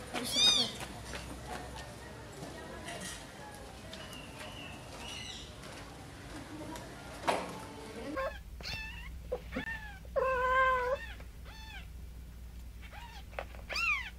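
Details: Cats during a mother cat carrying her baby kittens; scattered high meows early, then a cluster of shorter, lower wavering mews and squeaks in the second half, with faint human voices.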